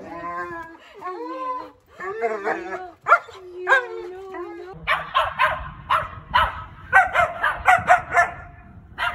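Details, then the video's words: Talkative pet German Shepherd, grown from a puppy, making funny chatty sounds: a run of whiny, tonal moans and groans rising and falling, then a string of short, sharp yips and barks repeated about every half second, with background music. "Watch My German Shepherd Speak His Own Unique Language"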